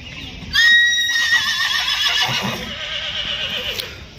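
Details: Horse at the Muktsar horse fair (mandi) in Punjab, 2023, giving a loud whinny: a bright, strongly harmonic cry that bursts in sharply, holds, then wavers and quavers downward over about three seconds before fading, with faint fairground background noise.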